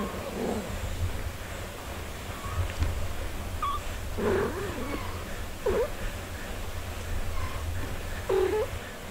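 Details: Mother cat tending her four-day-old kittens, with a few short, soft mewing calls spaced a second or two apart over a steady low rumbling background.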